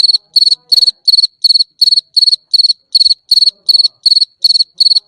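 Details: Night-singing cricket giving bright, high chirps made of quick pulse trains, each burst evenly spaced about a third of a second apart, continuing without pause against a quiet background.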